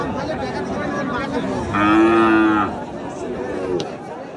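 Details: Cattle at a Qurbani livestock market in 2025, where lean cattle are sold: one steady, tonal moo lasting about a second, with a low harmonic-rich drone, over a constant murmur of crowd chatter.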